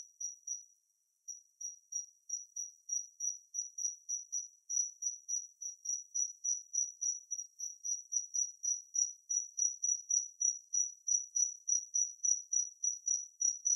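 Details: Natula matsuurai, the kinhibari cricket, giving a piercing high, bell-like pulsed trill; after a brief pause near the start, short ringing bursts follow continuously at roughly three to four per second, clean and without other sounds.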